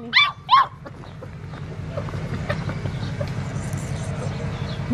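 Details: Black tri male Australian Shepherd puppy, five weeks old, letting out two quick shrill yelps at the start, followed by a low steady hum and faint handling noise.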